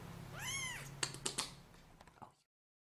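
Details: Short, high, arching meow from a baby kitten, followed by a few soft clicks and taps in an otherwise quiet room.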